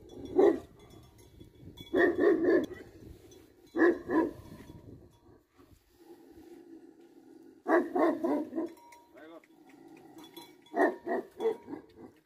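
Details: Tibetan Mastiff, a livestock guardian dog in Nepal, locally called Bhote Kukur; deep barks come in bursts of two to four, repeated several times across the stretch, with some low background voices between.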